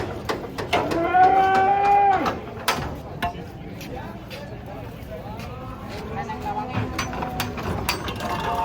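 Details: Giant cattle being unloaded from a truck, one trodden on by its companion: a single steady, harmonic moo lasting about a second, then a fainter, longer low moo later, with men talking, laughing and clattering around it.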